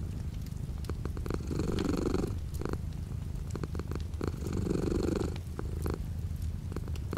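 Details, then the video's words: Cat purring indoors while light rain falls outside the window: deep buzzing purr throughout, swelling louder twice in about three-second breath cycles, backed by steady rain noise and occasional sharp droplet clicks. "The sound of a cat purring with light rain outside the window."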